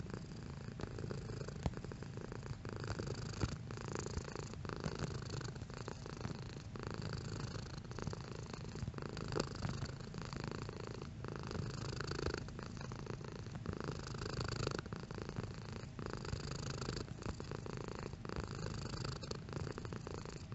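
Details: Purring domestic cat, intensity shifting over the recording: a steady, soft, low rumble that runs unbroken for about twenty seconds, swelling slightly in places as the cat breathes in and out.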